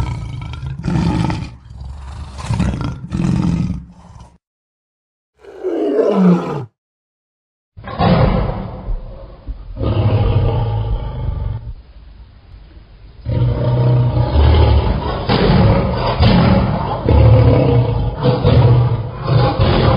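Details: Lion roaring: deep, rumbling bursts with strong low bass, a short rising growl near the middle, then a long sustained throaty roar with coarse, grating pulses and brief silent breaks.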